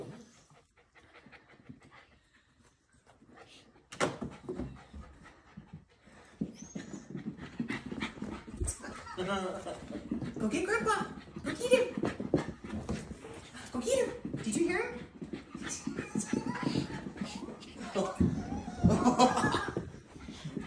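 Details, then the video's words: Miniature Australian Shepherd puppy with a little stub tail, indoors after the zoomies: rapid, breathy panting at about three breaths a second, with people talking and calling encouragement over it. "Mini Aussie having the zoomies"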